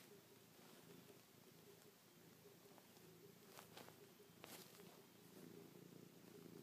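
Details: Chloe the cat purring softly while nuzzling, pawing and licking a person's face; a faint low continuous purr under light hiss, with a few crisp rustling clicks in the middle.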